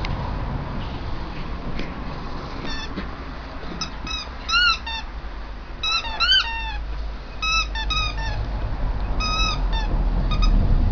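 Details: Bearded Collie puppies of a ten-pup litter, almost seven weeks old, playing in a yard; short high squeaky yelps and whines in scattered bursts, some rising and falling, over a steady low background rumble.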